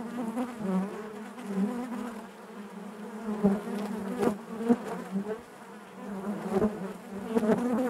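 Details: Inside a beehive, honey bees keep up a constant low buzz, rich in overtones, pulsing gently in volume, with brief clicking knocks scattered through.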